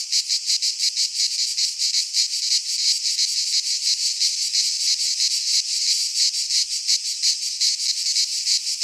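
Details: Cicadas singing in a Greek pine forest in midsummer: a dense, continuous high buzzing chorus with a rapid pulsing beat, about three pulses per second, steady throughout and no other clear sounds.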